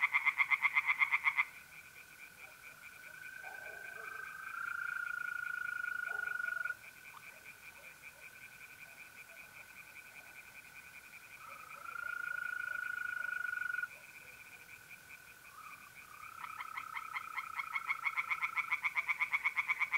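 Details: Tree frogs singing by night from a pond in mid-April in north-east Italy: bursts of rapid, rasping pulsed croaks open and close the stretch, while mole crickets keep up steady, unbroken trills throughout.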